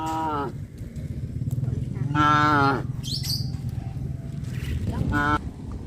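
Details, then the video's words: Cows wandering through a village's residential area during rice planting season, near a traditional farm: three harmonic moos, the middle one longest at about two-thirds of a second, over a steady low rumble, with a brief high chirp between calls. "Cows wander around residential areas-Sound of cows moo"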